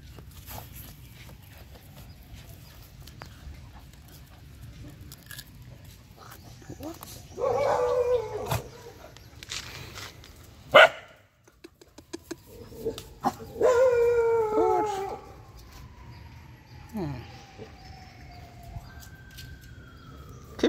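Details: Stray dogs playing and digging together outdoors give two bursts of harmonic, whining yelps, the first near seven seconds and the second, longer and more strained, near fourteen, over rustling, a long gliding steady tone and a voice.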